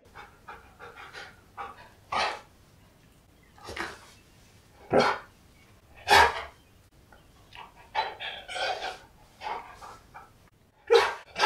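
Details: Siberian Husky named K'eyush, excited when surprised by his best friend on his birthday, indoors: loud broadband yelps and howl-like bursts every second or two, with panting and snuffling in the gaps between calls.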